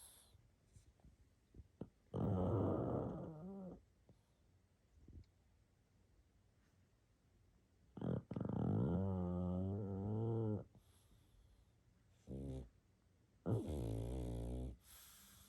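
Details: A sleeping pug snores and wheezes: drawn-out rattling, slightly tonal snores of one to two seconds, with quiet gaps and a short snort between, in a small indoor room.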